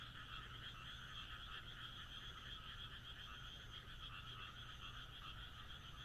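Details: Moonlit rural night in Japan filled with croaking frogs, overlapping rapid pulsed trills forming a constant wall of sound, backed by faint low-pitched rumble.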